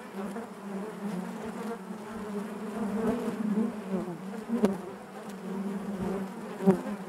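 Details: Honey bees humming together inside their hive: a steady, dense drone centred low, with overlapping wingbeat harmonics stacked above and brief louder swells near the four- and six-and-a-half-second marks, like bees passing close.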